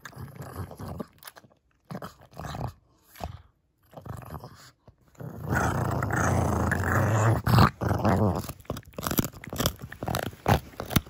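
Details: Kongzi, a six-year-old female pug indoors, turns fierce over a bone treat bigger than her face. A low, rumbling growl swells and holds for several seconds, broken by crunching and chewing on the bone, with short quieter pauses between bursts.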